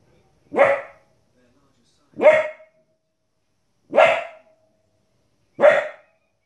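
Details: Four evenly spaced, loud barks from a 15-week-old female Border Collie puppy reacting to wolves and other animals on television. The barks come roughly every 1.7 seconds with quiet gaps.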